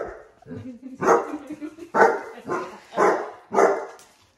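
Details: Basset hounds with heart balloons, which the dogs dislike, giving a run of about five loud, rough barks roughly half a second apart after softer low grumbling at the start.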